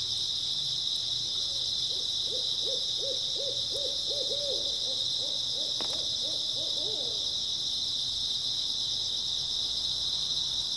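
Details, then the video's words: Continuous high insect chorus from grass insects on an early autumn night, joined midway by a run of about a dozen low, evenly spaced hooting notes that speed up slightly, plus a single sharp tap. "초가을 밤부터 새벽까지 백색소음 풀벌레 소리"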